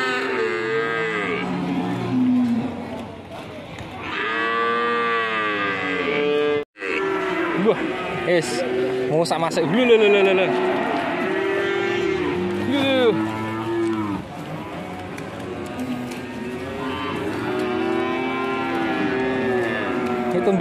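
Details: Fierce, raging cattle panicking their owners in Indonesia give a run of loud, drawn-out harmonic moos, several rising then falling, with short gaps between them, plus a brief sharp break and some background voices.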